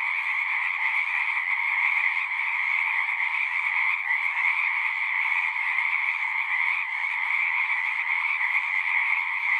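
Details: A frog chorus as a continuous wall of sound, many callers trilling together in a steady shimmering drone with two clear pitch bands, even in volume, and a few faint flickers of texture.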